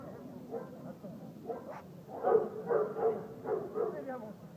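A Dobermann gives a run of deep, rapid barks, some with a voice-like tone in the background.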